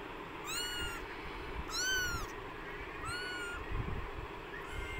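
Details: Newborn kittens in extreme hot weather, described as about to faint, give three high, arched meows rich in overtones, spaced about a second apart, with a faint fourth cry at the end over a steady low background hum.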